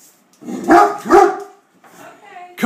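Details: Hurley, a Great Dane, attacking a beer keg, gives two sharp, harsh barks close together, followed by a man's coaxing voice.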